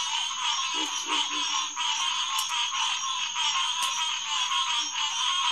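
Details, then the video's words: Green tree frog chorus at a pond beside a boardwalk, 9:10 pm, June 2, 2021; thick overlapping calls form a constant bright hum, broken by a few louder individual notes and brief low sounds. "Green Tree Frog Chorus"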